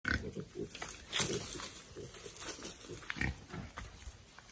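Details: A small young wild boar, released into the wild and learning to forage, gives short, rough grunts and snuffles in a quick irregular series.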